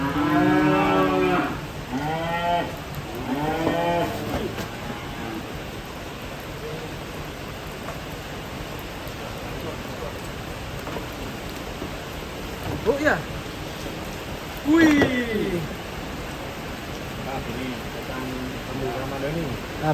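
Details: Lowing cattle coming down from a truck: three quick moos in the first few seconds, then a long hissing stretch broken by two short, sharp calls near the end, with constant background noise.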